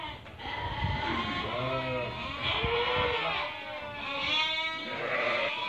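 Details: Flock of Merino sheep for import from Hungary, a buyer from Turkey choosing animals; quavering bleats rise and fall one after another, overlapping in a continuous chorus with some low background noise.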